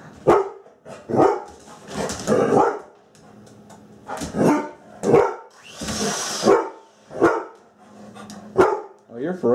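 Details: Pet Labrador Retriever, female, indoors in a kitchen, acting fierce in play at an object she is afraid of. Gives a series of about ten gruff barks at irregular intervals, with people talking in between.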